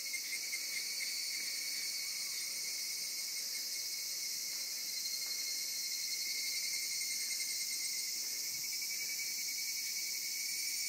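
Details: Summer insects singing in Zama, a continuous high shrill chorus holding level throughout, with a thin steady tone beneath and soft faint pulsing; no other clear sounds.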